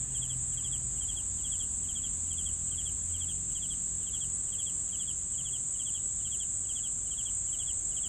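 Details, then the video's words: Cricket chorus with regular triple-pulsed chirps coming about every half second, a constant shrill high-pitched drone running underneath, and faint low rumble. "CRICKETS SOUNDS"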